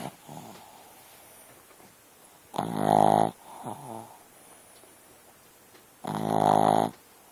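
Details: A dog asleep, producing heavy rasping snores, two loud buzzy drawn-in breaths about three and a half seconds apart, with a fainter fluttering exhale between them in a quiet room.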